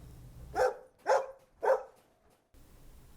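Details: Three quick, punchy dog barks in a steady rhythm, each short and bright, spaced roughly half a second apart. A low hum sits underneath before and after.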